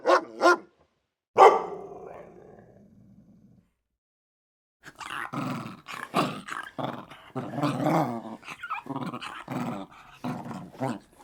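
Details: Fierce warning growls from a protective dog: two short barks, then a long fading growl, and after a pause a dense, rapid stretch of snarling growls and yaps without break.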